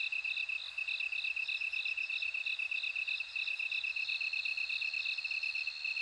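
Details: Bell cricket's high ringing notes, broken at first and then a smooth continuous tone in the final seconds, mixed with dense rapid pulsing from other insects in a nighttime-style chorus.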